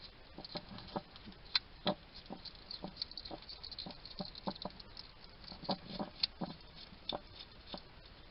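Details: A wild male hedgehog at a garden feeding station in Somerset, UK, chatting to himself while he eats: rapid, irregular wet smacks and crisp clicking crunches, some in quick bursts, over a soft steady background hiss.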